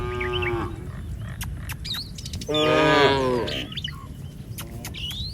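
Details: Cattle from a herd roaming a village street, giving a short harmonic low moo at the start, then chirping birds with sharp whistled calls scattered throughout.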